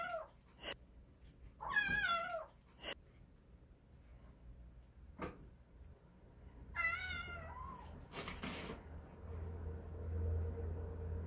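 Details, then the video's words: Kitten of the stray cat Kkandol calling its mother: two clear descending meows separated by clicks and knocks, with a low hum rising toward the end. "새끼고양이가 엄마를 부르는 방법"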